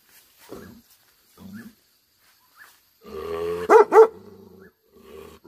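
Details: Tibetan Mastiff (Bhote Kukur) sounding angry: scattered soft grunts, then a rising growly rumble that breaks into two sharp, loud barks, fading back into a low growl.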